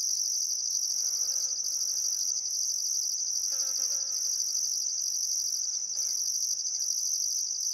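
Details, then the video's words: Summer sunset along the Barcoo River in Welford National Park, Outback Queensland: crickets keep up a continuous shrill chirping, with a higher rhythmic pulsing layer, while faint lower bird chatter rises briefly in the background. "Australian Sunset Chirping Crickets"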